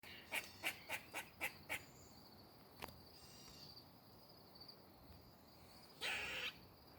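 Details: A squirrel moving in a tree gives a quick run of sharp, clipped chips, then a single harsh rasping burst.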